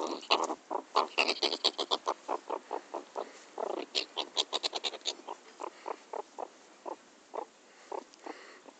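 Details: A pet meerkat, teased during play, gives rapid, harsh chattering pulses that start in quick bursts and gradually slow down.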